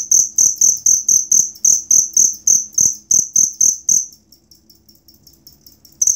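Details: Cricket used as song material for cage birds: rapid high-pitched chirps pulsing evenly for four seconds, then a brief near-silent gap with faint trills before the chirping resumes.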